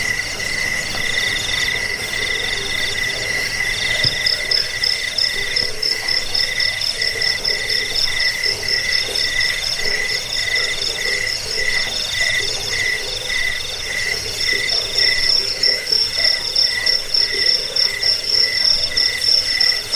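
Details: Chirping crickets from a rat-repelling, sleep-inducing recording also meant as a tutor for cage birds; layered high trills repeat in quick beaded pulses, with a brighter chirping voice strengthening in the second half.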